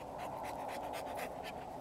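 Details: Male Rottweiler panting fast and steadily, with about seven breathy huffs packed into under two seconds over a constant background hum.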